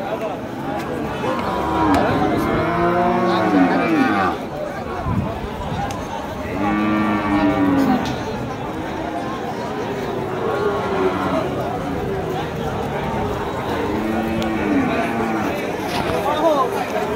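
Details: Cattle market in the Gopalganj area with Friesian cattle: several separate moos, short and wavering, spaced a few seconds apart, amid constant crowd chatter, men bargaining and background music.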